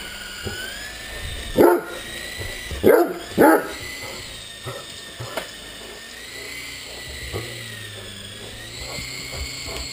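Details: Barks from a Great Dane at play with a remote-control helicopter: one bark, then a quick pair a second later, each short and booming, with the toy's whirring motor humming throughout.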